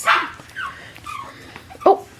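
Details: Six-week-old Imperial Shih Tzu puppies, a litter indoors, giving a sharp yelp followed by short whining whimpers that bend in pitch, with a person talking quietly in the background.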